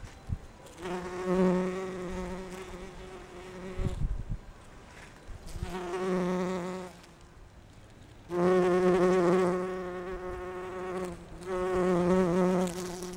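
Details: Bumblebees visiting rhododendron flowers to gather pollen, some individuals buzzing at different pitches; four long bouts of deep, droning wing hum that swell and fade as the insects approach and leave, with quieter gaps and a soft knock between.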